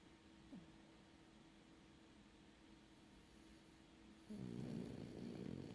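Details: Sleeping French bulldog: near silence for four seconds, then a loud, gravelly snore begins and continues to the end.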